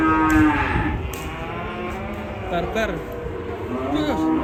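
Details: Agitated, raging cattle: a strong moo at the start, then lower sustained lowing with bending tones rising and falling over the last seconds.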